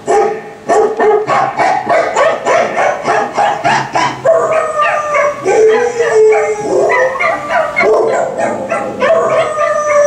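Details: A pet dog howls while listening to a Volkswagen commercial, over pulsing rhythmic music; drawn-out wavering howls rise and fall through the second half.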